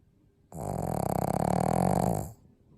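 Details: Pug snoring: one long rasping, rattling snore of nearly two seconds, a low buzzy pulsing throb with a steady drone, set between quiet pauses with no other clear sounds.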